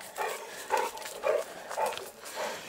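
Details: Dogue de Bordeaux at the amateur kennel Les Dogues de Plaine: about five short, hoarse barks spaced roughly half a second apart, with a person calling in Italian nearby.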